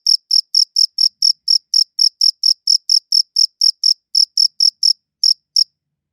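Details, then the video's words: Cricket chirping captured with a good audio recorder: sharp, high chirps about four per second, slightly uneven spacing, then a brief gap and two final chirps before silence; nothing else audible. "Cricket Chirping Sounds"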